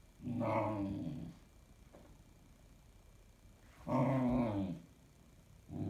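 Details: Bunny, a 16-week-old Standard Poodle puppy, overtired and restless past bedtime, grumbles in low, throaty, drawn-out moans in two long bursts, seemingly protesting bedtime.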